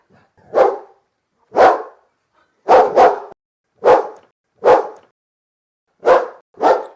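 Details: Dog barking, one of many large and small dogs of various breeds in a compilation of barks; loud separate woofs about once a second, some doubled, with nothing else heard between them.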